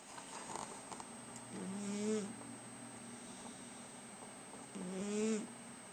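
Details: Pet cat snoring while asleep on a person's lap; two slow, wheezy nasal breaths about three seconds apart, each a tonal, slightly rising whistle-like snore, with a steady faint background hiss.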